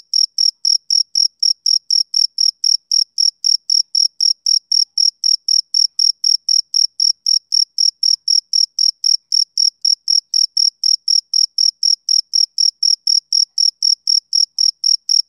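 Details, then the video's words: Male cricket calling through a summer evening, an unbroken train of high, regular chirps near four per second over fifteen seconds, uniform in loudness, with no other animals, wind or voices. "Cricket Chirping Sound Effect"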